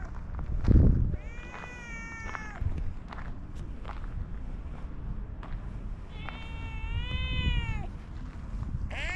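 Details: An orange tabby cat meows twice in long, level, wavering calls, with soft thumps and faint knocking beneath a constant low hum, ending in the start of another meow.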